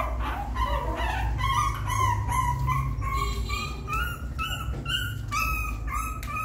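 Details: Puppy trying to climb into the nest, with a run of short high whines repeated about twice a second, each with a bright squeaky edge, above a constant low background rumble.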